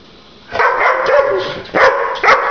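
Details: Pet dog reacting to being shown the middle finger, giving harsh barks in two bursts, the first long and rough, then two sharper barks, indoors with a person soothing it nearby.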